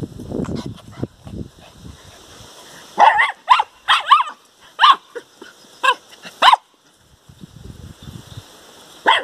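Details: Four-week-old puppies playing outside, barking at a tree: a cluster of short, high yapping barks in quick bursts, some paired, with rustling and soft scuffling between them.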